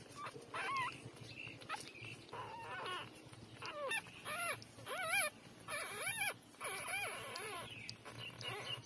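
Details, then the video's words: Newborn puppies, three days old, nursing from their mother; a run of high, wavering whimpers and squeals, each a short bent cry repeated about every half second, with suckling noises and faint background hum. "Cute-3-days-old puppy take breastfeeding"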